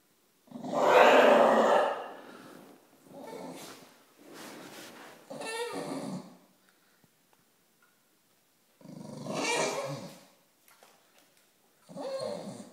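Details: Staffordshire Bull Terrier going crazy indoors: bursts of rough, throaty growling and grumbling vocalisation lasting one to two seconds each, separated by short pauses, about five bouts, with a person's voice briefly at the end.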